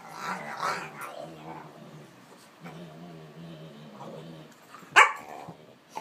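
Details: Fred, a near five-month-old Olde English Bulldogge puppy weighing over 40 pounds, pouncing on Ruby's back to wrestle on a couch; a steady, rumbling growl with a low droning tone runs throughout, broken by a sudden sharp bark near the end.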